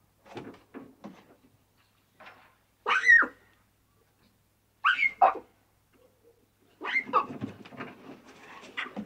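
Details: Young lion cubs playing and bonding in the wild, giving short scattered calls, a few louder rasping, rising-and-falling cries, and a rougher burst of sounds near the end, with quiet gaps between.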